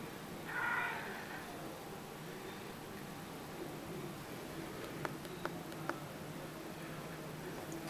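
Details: Male Siamese cat indoors, talking back while playing his favourite peek-a-boo game: one short, mid-pitched meow near the start, then a quiet room with a few faint clicks.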